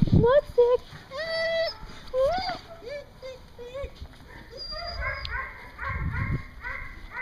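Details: Dogs at a dog daycare in Hooksett, New Hampshire, dated 01 02 2016, giving high, drawn-out whines and short rising yelps with bright overtones. Several rise and fall, and a thin cluster of whimpers comes near the end with occasional low thumps.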